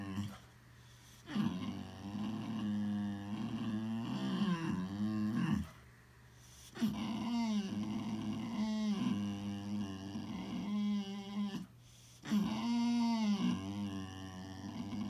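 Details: Boxer dog indoors making long, moaning, wavering whines in drawn-out phrases a few seconds each, broken by short silences, with pitch bending up and down; some human speech may mix in.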